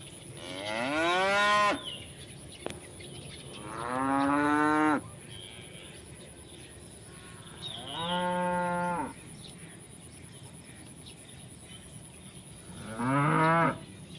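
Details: ['Tame cows grazing in village rice fields under open sky, calling their friends to eat: four long, loud harmonic moos spaced several seconds apart, each rising then falling slightly, with quiet field background between calls.']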